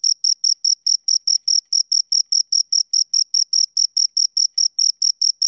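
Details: Two crickets chirping close up, a high, pure trill of short pulses repeated about four times per second in a steady, even rhythm, with no other sounds.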